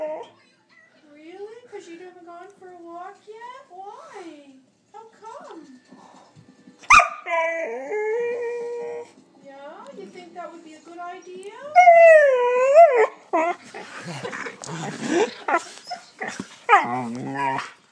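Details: Seven-month-old female Border Collie 'talking': long wavering whines and yodel-like howls rising and falling in pitch, broken by short yips and grumbles, growing louder and more urgent toward the end.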